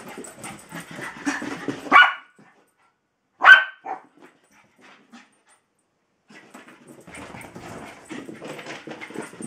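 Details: Tinkerbell, a female Jack Russell terrier, pestering Bilbo, a patient Welsh Terrier, for play and attention: two sharp, loud barks about a second and a half apart, with soft shuffling and scuffling movement before and after.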